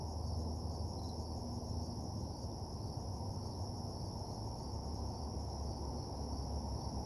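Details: Steady high cricket trilling after dark, with one brief higher chirp near the start, all over a loud, rumbling low-frequency noise bed.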